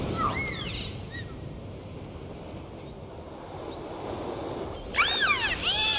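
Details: Dolphin. A dolphin gives bursts of high, looping whistles that sweep up and down, first briefly at the start and then in a tangled flurry near the end. A steady hiss of water fills the gaps between them.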